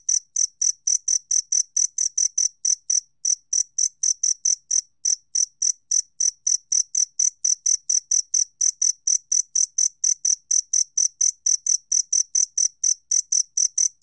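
A two-spotted cricket gives clear, high, ringing chirps, repeated about four times a second.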